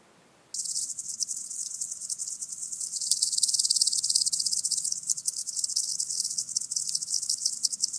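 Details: {'text': 'Common green grasshopper at Tschenn, Italy, 19 August 2019, starting abruptly into a high, hissing, rapidly pulsed ticking that grows louder midway and continues with slightly uneven strokes over a faint low hum.'}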